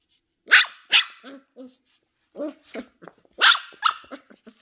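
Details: Young Sheltie puppy Ollie, ten weeks old and exploring her new surroundings, lets out two loud shrill barks followed by softer trailing yips and grumbles, then another pair of sharp barks and quieter yelps.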